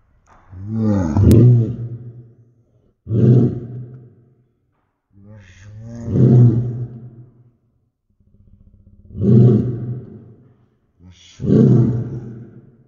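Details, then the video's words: Great Dane barking, slowed down to slow motion: five deep, drawn-out booming barks, each about a second long with a low rumbling tone, separated by two-to-three-second pauses. "Great Dane Barks Slow Mo"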